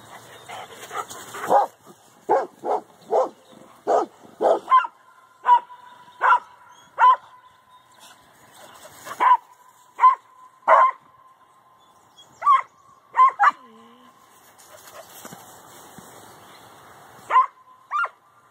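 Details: Dogs at Canisolida on a morning walk, barking on seeing cows on the other side of their fence: sharp, loud barks in irregular bursts, about twenty over the stretch, over a faint steady whining tone.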